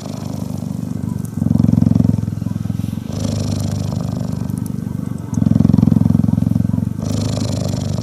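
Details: Female cheetah purring while being cuddled and touched: a steady low, rapidly pulsing motor-like rumble whose louder and softer phases alternate every two seconds or so, like inhale and exhale.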